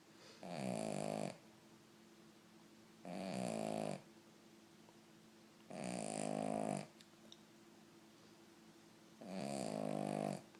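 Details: Snoring of a Cavalier King Charles Spaniel in deep sleep: four steady, raspy, droning snores, each close to a second long, repeating roughly every three seconds in a quiet indoor room.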